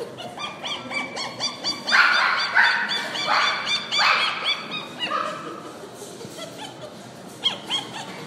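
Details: Purebred poodles give quick, high-pitched yapping barks overlapping in a rapid, busy chorus.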